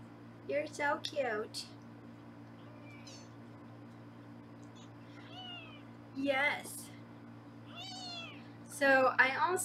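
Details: Foster kittens at a Los Angeles kitten cam room while being weighed: several thin, high-pitched mews, short and falling, scattered among a woman's talking, with a constant low room hum beneath.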